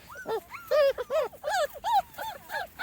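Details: Small Munsterlander puppies, 2.5 weeks old, outside for the first time: a litter of squeaky, rising-falling whimpers and yips in quick succession, overlapping calls from several pups.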